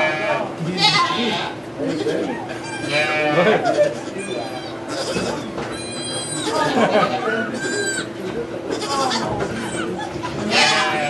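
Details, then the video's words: Birth of two baby goats at a sugar shack near St-Benoît, Quebec, captured on an iPod Touch 4G: repeated strained bleats recur across eleven seconds, mixed with French conversation and a low background hum. "Goat giving birth"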